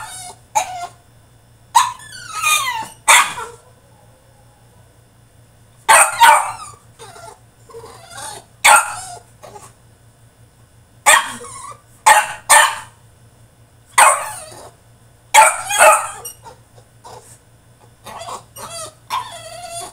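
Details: French Bulldog throwing a tantrum in his cage: loud broadband barks in irregular bursts, some doubled, mixed with yelps and whiny rising cries, separated by quiet pauses, a steady low hum underneath.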